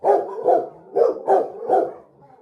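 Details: Five loud, deep barks come about every half second from a pet Rottweiler that has spotted street dogs outside on the road. The last bark fades into quiet.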